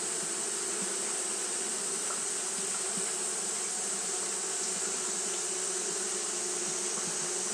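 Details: On a hot day, Japanese honey bees keep up their fanning behaviour, giving an unbroken humming drone with a slight rapid pulsing in the low tones and a steady hiss above.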